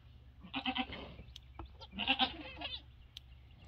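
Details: Farm goats as a two-week-old mini Nubian kid joins a Nigerian Dwarf herd and plays; two quavering, trembling bleats about a second and a half apart, with a low background hum.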